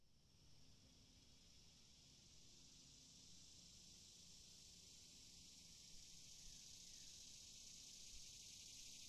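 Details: Cicada chirping: a steady, high, hissing buzz that holds without a break and swells slightly louder toward the end, with no other clear sounds.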